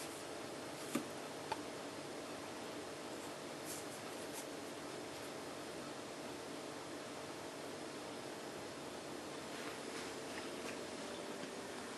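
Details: Only a steady indoor hum with faint rustles and a couple of soft clicks; no animal voice. The background stays even and quiet throughout, like a fan running in a small room.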